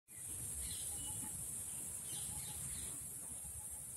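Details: Indian cicada, Huechys incarnata testacea, shrilling: a steady, unbroken high-pitched hiss that holds even throughout, with faint bird chirps and low background rumble beneath.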